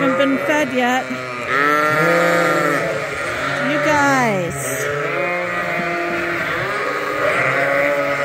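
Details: Several farm lambs, bottle babies topped up from a hand-made feeder twice a day, bleat continuously and overlap in a dense chorus of quavering, rising and falling cries.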